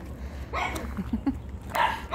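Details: Chihuahua female named Gioconda, at home in Simferopol, Crimea: a few short rising whimpering yelps, then a brief yap, with a person talking nearby.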